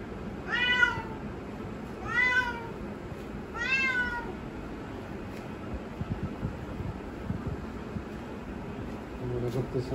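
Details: Domestic cat waiting by the door indoors, wanting it opened to go outside; three clear harmonic meows about 1.5 seconds apart in the first four seconds, each rising then falling, followed by quiet room sounds with faint taps.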